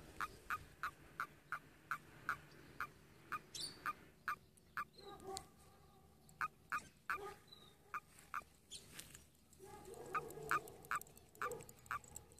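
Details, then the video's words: A frog giving a strange, human-like call: short sharp clicking notes repeated roughly every half second, some in quick doubles, over a faint background hiss. "FROG MAKES VERY STRANGE SOUND! Like a human!"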